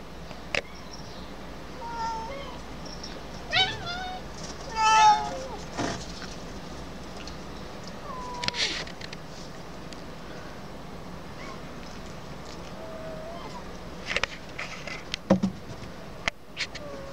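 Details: Colony community cat meowing: a few short, thin, wavering meows around the middle of the recording, with sharp clicks and knocks, a low steady background hum and brief human sounds.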